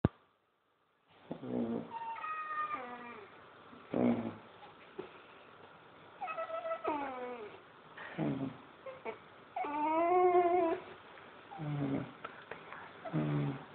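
A Basset Hound puppy gives a run of high, squeaky whines and whimpers, some rising and some falling.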